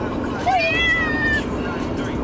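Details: Pet cat in a carrier during a car ride to the vet, meowing a lot: one drawn-out, slightly falling meow over steady engine and road rumble, with a person speaking nearby.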